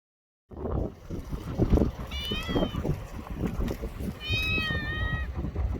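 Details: Stray cat in a park or port in Japan giving two drawn-out, slightly falling meows a couple of seconds apart, over a steady low rumble of engines or wind and faint voices.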